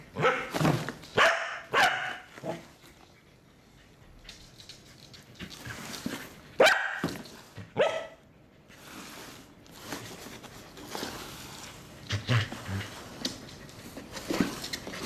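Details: Pembroke Welsh Corgi named Rockey barking indoors after being scared by a common cardboard box; loud harsh barks come in bursts, several in the first seconds, more around six to eight seconds, then softer scattered yaps in a small room.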